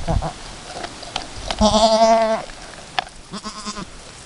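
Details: Chamois-coloured Alpine goat named Chiara and her newborn kid, two hours after her first kidding, both still learning to nurse; one loud, wavering harmonic bleat of under a second, then a fainter short bleat, with soft rustling.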